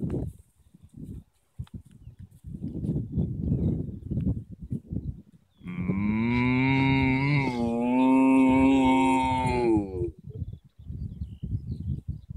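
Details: Cattle in an Irish field: several seconds of scuffling and rustling, then one long, loud, resonant moo lasting about four seconds, wavering slightly before cutting off.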